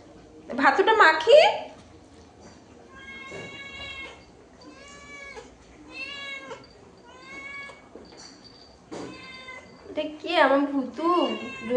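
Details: Domestic cat, hungry and waiting while rice is mixed for it, said to have a sore throat, utters a run of thin, short, high meows, about one per second, between bursts of a woman's speech at the start and end.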